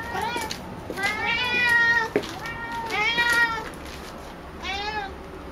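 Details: Female house cat Picchi, indoors, meowing excitedly at a ball made from her own brushed-out hair. She gives a run of loud rising-and-falling meows, some drawn out and some short, with quiet pauses in between.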